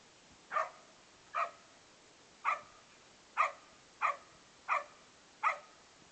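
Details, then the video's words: Playful barking from Beau, a male foster dog of Australian Cattle Dog and English Setter mix; seven short, punchy barks in a steady series roughly every three-quarters of a second, clear against low steady hiss. "Beau Playing"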